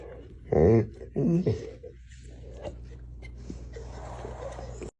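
An American Bully gives two short, harmonic, moaning growls, like talking, in a quiet room.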